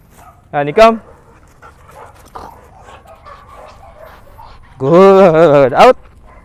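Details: Female Belgian Malinois in the Philippines during training: two loud, harmonic barks, a short pair near the start and a longer, wavering, drawn-out bark near the end, with faint murmured voices between.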